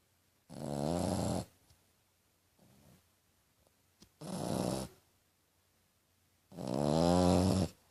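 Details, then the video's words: Tequila, a French Bulldog whose snoring is likened to a piglet's, gives three rasping, rumbling snores of about a second each, the last loudest, with one faint soft snort between them. "Bulldog francês roncando"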